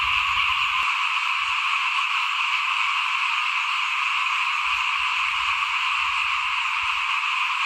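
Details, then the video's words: Dense chorus of small frogs calling outside a house while rice is sown in 2021, steady high trilling from many animals overlapping without pause, with faint low rumbles beneath. "เสียงเขียดร้องหน้าบ้าน ตอนหว่านข้าวเตรียมปลูกปี2021"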